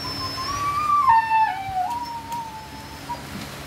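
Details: Siberian Husky during natural mating, whining in a wavering tone that climbs, then steps down in pitch and trails off into a softer, level whimper over about three seconds, against low background hum.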